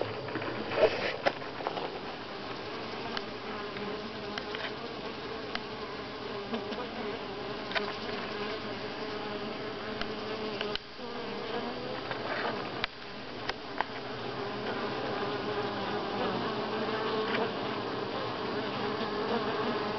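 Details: Honey bees at Grass Lake Sanctuary, week 6, July 25, 2011: a dense, steady hum of many wings with a tone near the middle of the range. Brief clicks and taps show through, and the drone dips briefly twice.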